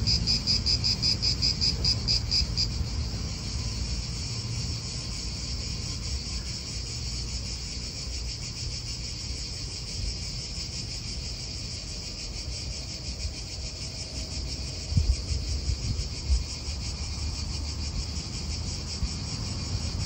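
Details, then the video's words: Cicadas in an Italian park, recorded in real atmosphere: a high, steady buzzing drone, loudest and brightest in the first few seconds and then softer, set against heavy low wind rumble, nearby car noise and a brief thump near the end. "italian park ASMR Cicadas wind real atmosphere in an Italian park birds"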